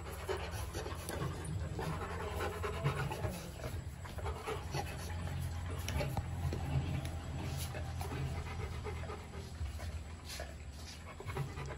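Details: Rottweiler puppies, a pair kept in a kennel, panting steadily and rapidly throughout, a soft rhythmic huffing over a low background hum.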